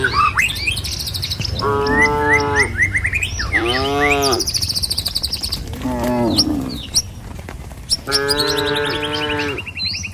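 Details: Tame cattle from a herd of dozens heading along a village road toward their pen in the morning: three long, harmonic moos around two, four and eight seconds, with chirping birds overhead and a low rumble throughout.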